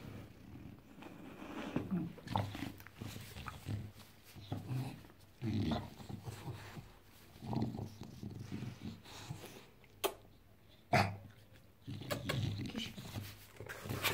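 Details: Bulldog on a Saturday morning, acting crazy indoors: low, rough growling grunts in bursts every one to two seconds, broken by sharp clicks and thumps, with faint voices in the room.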